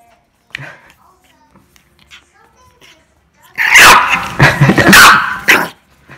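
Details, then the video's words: Angry dog after a near-silent start: a sudden run of loud, harsh, rapid barks lasting about two seconds, then fading to quiet. "Angry dog noises"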